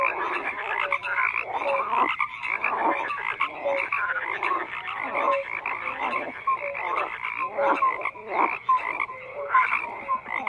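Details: A thick frog chorus of overlapping croaks, with clusters of rasping calls swelling and fading roughly once a second and brief whistled upward notes threaded through.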